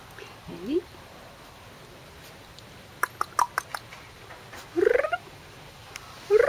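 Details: Corgi puppies, male littermates 44 days old, filmed 29 April 2013: three short high whimpers rising sharply in pitch, spaced several seconds apart, with a quick run of soft clicks and taps between them in a quiet room.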